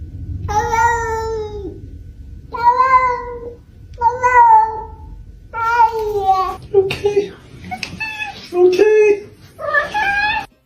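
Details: Domestic cat in a compilation of talking cats, giving a series of drawn-out, tonal meows that sound oddly word-like, five or six in a row with short gaps, while a person answers with greetings between them.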